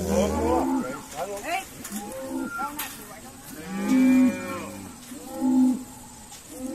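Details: Irish Dexter cattle calling during a noisy sorting day at Stone Meadow Farm; many overlapping moos from several cows, short and choppy at first, then two strong drawn-out bellows around four and five and a half seconds.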